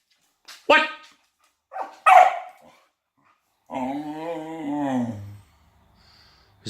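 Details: A female Australian Kelpie playing with a toy gives two short, sharp barks, followed by a person's voice.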